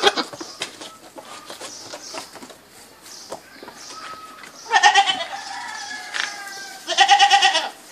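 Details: Two vibrating, quavering goat bleats late in the recording, preceded by a noisy stretch of clicks and faint distant calls.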